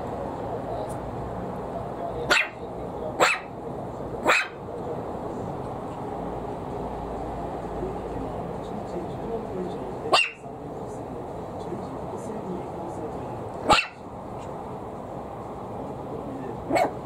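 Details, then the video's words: A Maltese puppy, frightened by a plastic bottle being squeezed, gives short, sharp barks in scattered bursts over a steady hiss; she normally does not bark this much. "【マルチーズ】ペットボトルが怖いのに決して弱気を見せない子犬【子犬】"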